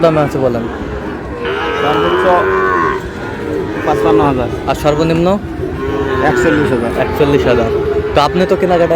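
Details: Sahiwal breed bull calves at a Noakhali farmer's cattle market purchase, dated 27/7/26. One clear, level moo of about a second and a half rises out of continuous crowd chatter and speech, followed by fainter lowing.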